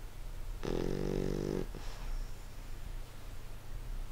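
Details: Sleeping English Bulldog giving a single rough, buzzy snore lasting about a second, followed by a softer short exhale and quiet breathing over a constant low hum in a small room.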